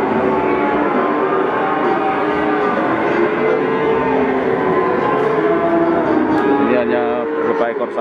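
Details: Young Peranakan Ongole (PO) bulls, pedetan breeding stock, at the Pasar Pon livestock market in Ambarawa, Central Java, Indonesia. Drawn-out low moos rise and fall over dense market chatter, with ringing bell-like tones near the end.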